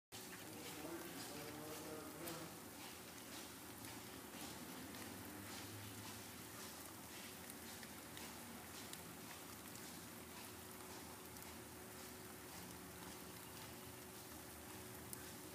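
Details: Millions of June bugs in an outbreak drone together, a low steady buzzing hum under a wash of outdoor noise.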